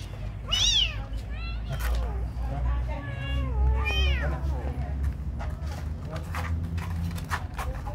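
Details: Kitten being given food, mewing in high arched cries, two clear ones near the start and middle and fainter ones between, over steady low background rumble and some voices.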